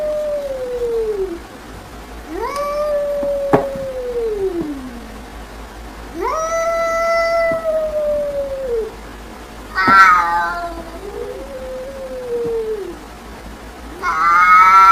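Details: Cat reacting to played funny sounds gives a series of about five separate meows over fifteen seconds, each rising quickly then sliding down in a drawn-out, whiny tone, with short quiet gaps between.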